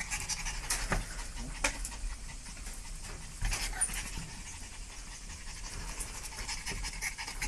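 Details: Breathy panting from a dog, short airy puffs in uneven bursts, a few louder huffs standing out, over a low background hum.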